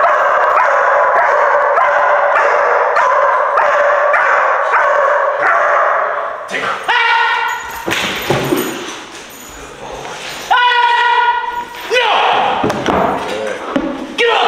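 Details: German Shepherd pup inside an abandoned movie theatre during confidence-building training: rapid run of harmonic yips, roughly three per second, for six seconds, then higher, echoing whining cries mixed with voices.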